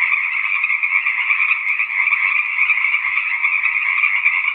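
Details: A continuous chorus of tree frogs, many trilling voices blending into one even, high-pitched buzz that never breaks, with only a faint low knock heard once partway through.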